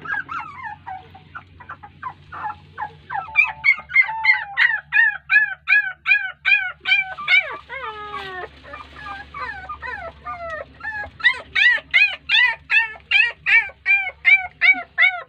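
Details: Puppies crying while their mother dog ignores them, possibly without feeding them. Rapid, high, arched whines repeat about three times a second in steady bursts, with a brief lower sliding wail midway and a faint low hum underneath.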